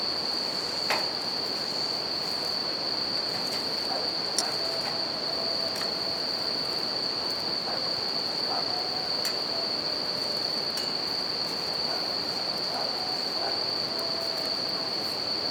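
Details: Bell cricket song beside a river and a campfire: one sustained shrill ringing note runs through the whole stretch over steady water rush, with scattered crackles from the fire.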